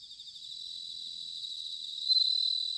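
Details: Singing bell cricket, autumn, Sanuki in Chiba Prefecture, Japan, ZOOM H6 or TASCAM DR-05X recording: a high continuous trill that builds gradually and swells into a louder pulsing burst after two seconds, with other crickets softly behind.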